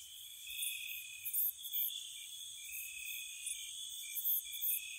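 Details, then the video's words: Crickets chirping at night in spring around a cottage, a steady high trilling chorus with layered continuous bands and brief brighter pulses, quiet background with no other clear sounds. "Spring Cottage Night Ambience, Nature Sounds for Relaxation & Sleep, Cricket Sounds"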